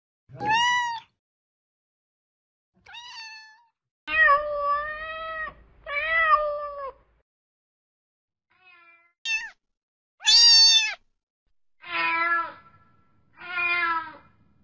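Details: Domestic cat meowing repeatedly over about fifteen seconds: short rising mews mixed with longer wavering meows, one very high shrill cry in the middle, and two final harsh meows, separated by silent gaps.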